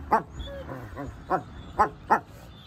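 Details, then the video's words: Female wolfdog reasserting her dominance over a male, who was about to lick her face and submit; a series of short, sharp, high yipping barks, about five bursts in under three seconds, over soft rumbling. "Wolf Dogs Growling Mouthing Biting Snarling Showing Teeth"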